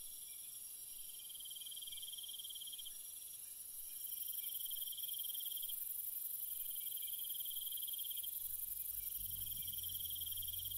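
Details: Nighttime crickets give repeated high trills in bursts every couple of seconds beneath a sharp continuous insect tone, with a faint low rumble near the end.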